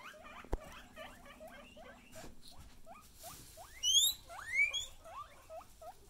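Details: Excited guinea pigs giving a run of short squeaks that sweep upward, then louder high rising whistles near the end, with rustling in the background.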